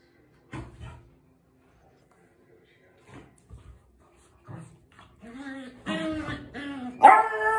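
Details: A beagle puppy playing with its father gives short yips and rising, whiny barks, growing louder toward the end.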